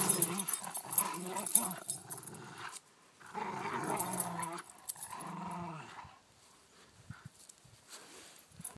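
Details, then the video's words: Play fighting between a Corgi and a Rottweiler gives bursts of harsh, gurgling growls, three main rounds in the first six seconds, then quieter clicks and scuffling as the growling fades. "Corgi battles Rottweiler"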